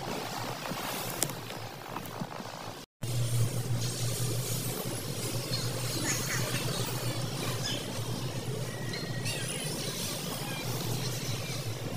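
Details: Steady broadband outdoor rumble, like traffic or wind, with a sudden brief dropout near three seconds and no clear calls.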